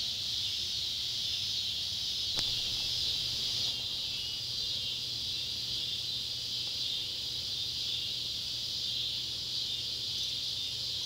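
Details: Neotibicen pruinosus and Neotibicen tibicen cicadas call at sunset by an old tobacco barn in Ballard County, Kentucky, on July 31, 2013, a steady, high, hissing drone that never lets up.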